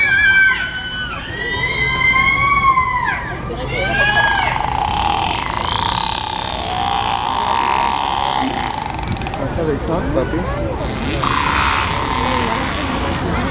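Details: Killer whale calls, harmonic and bending up and down, are played over loudspeakers to a murmuring crowd during a killer whale show at SeaWorld San Diego.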